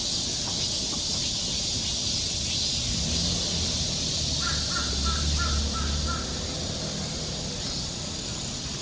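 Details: Cicadas on a summer forest trail in Seoul, Korea, droning in a continuous high buzz, joined midway by a brief run of rapid repeated bird notes and a low rumble.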